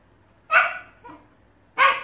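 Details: Two Shiba Inus squabbling over a ball: two loud, rough barks about a second apart with a soft grunt between.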